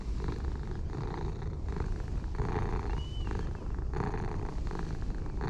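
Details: Low continuous purring from a light and dark orange tabby stray cat duo as they are stroked and show pleasure; breath-paced rumbling swells, with a short faint high whistle-like sound midway.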